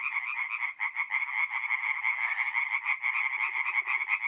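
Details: At night in mid-April, tree frogs sing at a forest pond in North-East Italy: a tight, buzzing chorus of fast pulsed notes. A few soft, lower clicks join near the end.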